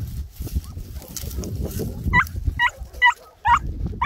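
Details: During a hare hunt in Cyprus, a Greek Harehound gives five sharp, ringing yelps with a rising bend, spaced about half a second apart, after a stretch of rustling and low ground noise.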